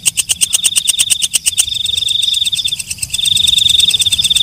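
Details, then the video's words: Rapid loud ticks from a walang kecek katydid for about one and a half seconds give way to a smooth, high-pitched buzzing trill that pauses briefly and resumes. "Suara Walang Kecek/ Belalang Malam"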